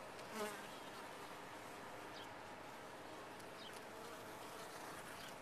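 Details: Honey bees in a top-bar hive, a steady even hum of the colony with one bee buzzing loudly past at the start, then a uniform drone.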